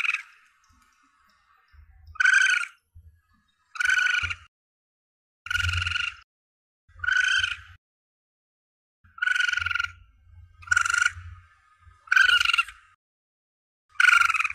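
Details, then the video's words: Calls of a young Asian palm civet, played to attract the target during hunts: eight short rasping, vibrating squalls at uneven gaps, with faint low thumps in the background between them. "Suara Anak Musang Pandan"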